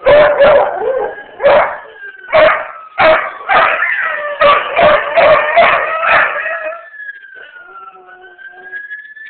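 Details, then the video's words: A beagle/shepherd mix gives a run of loud, baying barks merging into a wavering howl, howling at ambulance sirens. "Beagle howling at ambulance sirens"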